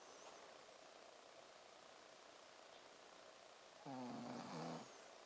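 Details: Ponzu the Shih Tzu asleep and snoring; a soft hiss of background, then a single low, buzzy, ribbed snore lasting about a second.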